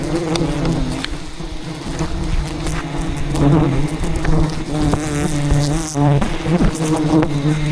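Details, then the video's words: Thousands of aggressive wild bees defending their colony as a giant hidden hive is harvested in rainforest jungle; a steady low droning buzz with stacked harmonic bands, mixed with clicks and rustling from the harvest. "ATTACKED by Angry Bees While Harvesting a Giant Hidden Beehive"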